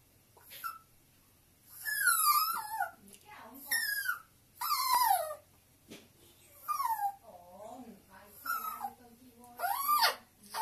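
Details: A homesick Chihuahua, as his owner arrives to pick him up, gives a run of high, squeaky, bird-like whines and yelps that slide up and down, in short bursts about every second or two.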